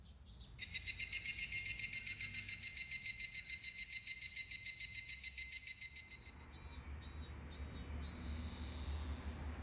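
A robust cicada sings a loud, shrill, rapidly pulsing buzz that holds steady for several seconds.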